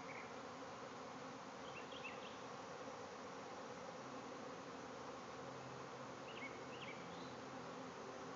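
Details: Thousands of bees swarming from a hive in a backyard, giving a steady, thick buzzing roar without pause; brief bird chirps appear faintly around two and six seconds.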